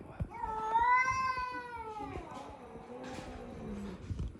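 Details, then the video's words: Indoor female cat reacting to a new dog with a loud, arching yowl that swells then slides downward into a low, trailing growl over about four seconds. "Our Cat meets our new dog (funny cat noises)"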